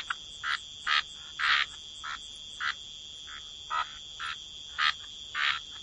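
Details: Waterside frogs give short, evenly spaced raspy croaks, roughly two per second, each a brief bright burst, over a continuous high whining drone of insects in the wetland background.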